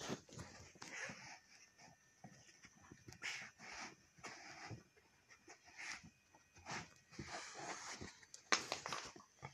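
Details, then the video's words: Dog pestering its mother, with brief yips, panting and scuffling noises coming in irregular bursts throughout, one sharper outburst near the end. "Jack Annoys his Mother"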